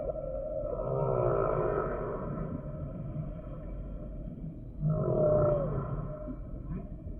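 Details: Singing humpback whale: two rising, groaning phrases with wavering harmonic bands, the first long and sweeping, the second starting abruptly near the end, with a low watery hum between.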